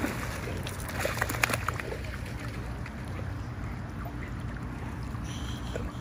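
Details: At a pool, people talk over splashing and trickling water, with a steady background hum.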